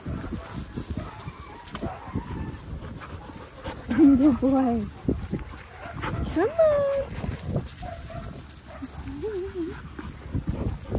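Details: Linc, a baby Australian cattle dog, at play with bigger puppies in a paddock: a few short, high, wavering yelps and whines around the middle and end, among scuffling, rustling and human speech.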